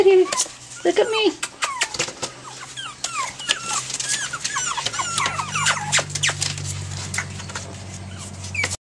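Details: Rapid chorus of tiny high squeaks from a litter of Pomeranian puppies, 5.5 weeks old, February 19, 2013, many short falling peeps overlapping, with a low steady hum in the room.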